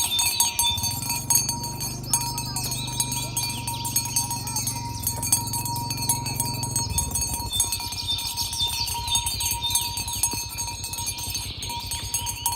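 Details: Tame cattle herded toward their pen along village roads in the morning, calling companions to gather. A single long, deep moo holds steady for about six seconds, dipping briefly midway, over constant tinkling bells and chimes.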